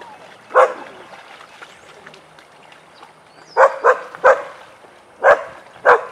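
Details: Weizsla dogs Biscuit and Jericho barking during a den playtime session: one sharp bark, a pause of about three seconds, then a run of five barks at uneven intervals.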